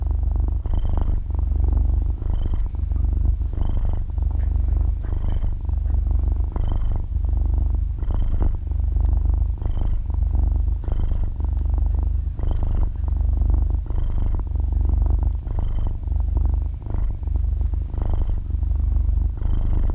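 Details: Half-year-old kitten fast asleep, possibly rolling onto its belly and stretching its paws, purring loudly right beside a binaural microphone. Deep rhythmic rumbling follows each breath, each cycle topped by a small whistling squeak. There is no speech or music.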